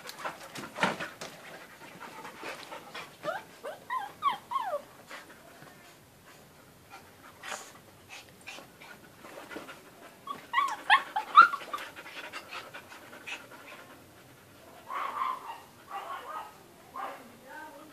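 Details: Dogs kept as pets, with irregular breathy panting bursts about twice a second, broken by high, squeaky rising-and-falling whines around the fourth and eleventh seconds and again near the end, heard indoors.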